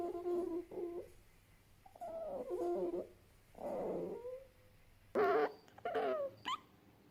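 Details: Fennec fox making a varied series of low whimpers and yelps, some wavering and some clipped, ending in a burst of sharper, higher squeaks, with a quiet background hum.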